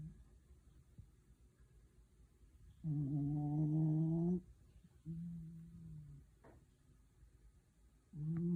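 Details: Dog sleeping comfortably and snoring indoors: low droning snores with harmonic layers, one long snore lasting about a second and a half, then a shorter one and another starting at the end, quiet breathing between.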